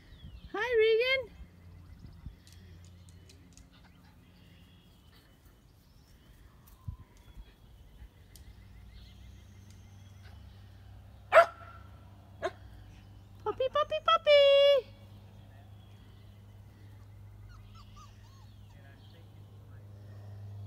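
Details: Shetland Sheepdog puppies at play outdoors: a short burst of high, harmonic-rich yelps at the start, a lone sharp yip later, then a quick cluster of bending, squealing yips, over a low steady background hum.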